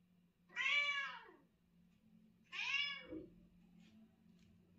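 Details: Mother cat chatting with her kitten and owner indoors: two clear, drawn-out meows about two seconds apart, each rising then falling, with a soft low hum underneath.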